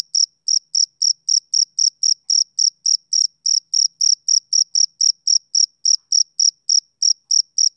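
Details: Male cricket heard on a summer evening giving steady, piercing chirps close to four per second, each pulse bright and brief, nothing else audible.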